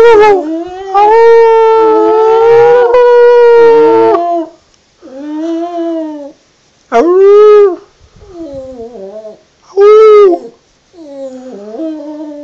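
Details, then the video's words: Wilson, a border terrier, singing: a long sustained howl holding steady for about three seconds, then a string of shorter wavering, rising-and-falling howls separated by brief silences. "Wilson the border terrier sings again"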